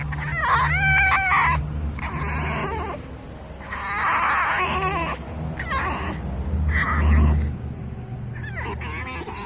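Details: A rescued fox named Dixie cannot contain her excitement while petted, giving a series of high, bright squeals and whines in separate bursts roughly every second or two, some sharply trilled, with a faint background hum.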